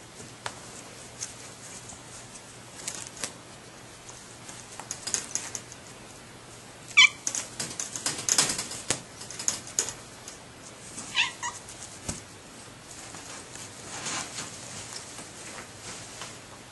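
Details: Domestic cat from a group of three rescued female cats, a shy mother and two playful teenagers seeking a barn home, gives two short meows amid steady rustling, clattering and tapping noises.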